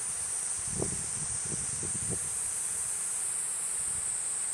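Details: High, even cicada drone from Platypleura kuroiwae running steadily underneath, with low soft thumps and rustling noises in the first two seconds.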